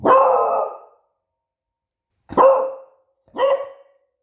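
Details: Pet female beagle on guard duty giving three loud barks, the first long and drawn out, the next two shorter and spaced about a second apart, with a clear ringing tone and no other sounds.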